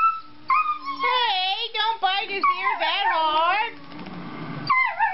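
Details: Treeing Walker Coonhound pups, two four-month-old males named Kirby and Hoover, yodel together in tight, quavering howls that rise and fall rapidly, ending with a stretch of softer noise and a last yelp.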